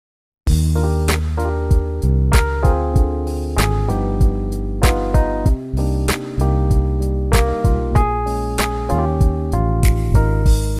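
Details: Upbeat instrumental music with plucked guitar and keyboard notes over a steady bass line, and no dog or other animal sounds.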